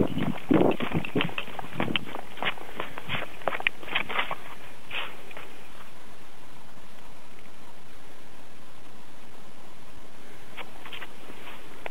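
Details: Footsteps crunch and scuff in quick bursts early on, then fade to a steady low outdoor rumble. No animal calls stand out.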